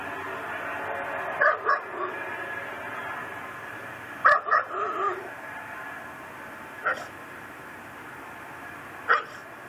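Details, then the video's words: Louisiana pit bull tethered to a yard post, barking day and night, recorded at midnight on December 24, 2012: paired barks repeated in several bursts a few seconds apart, loud and abrupt, over constant background noise. "Neighbor's Nuisance Barking Dog"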